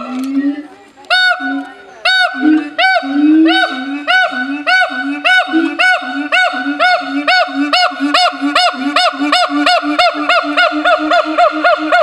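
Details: A siamang (Symphalangus syndactylus) at a zoo calls with loud, ringing hoots that speed up into a rapid, even series.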